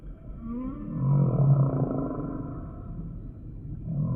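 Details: Deep, groaning humpback whale moans with a rough, roaring texture that swell and fade over a few seconds. A faint, higher sweeping tone drifts above them.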